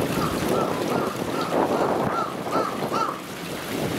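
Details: California sea lion at Misaki Park zoo, Osaka, Japan, on 4 November 2017, giving short, hoarse barks repeated every half second or so over wind noise.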